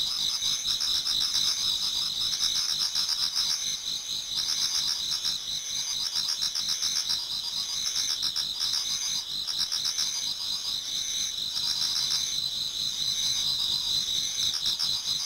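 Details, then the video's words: Many autumn insects singing toward dawn in a Japanese garden: a dense, continuous high chirring chorus with steady bands of trilling, plus pulsed ticking repeated about four times a second, with no gaps. "Autumn Insects voice Towards dawn"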